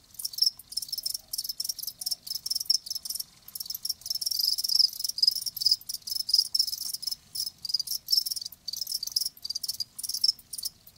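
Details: Live crickets in a natural recording, loud high-pitched trilled chirps running almost continuously, with short breaks and several callers overlapping.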